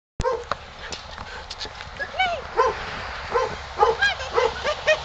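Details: Shy Siberian Husky in the snow at an SPCA shelter awaiting adoption, born and raised in a pen; short arched yelping cries with bright overtones, irregular bursts after a sudden start, with a person's voice nearby.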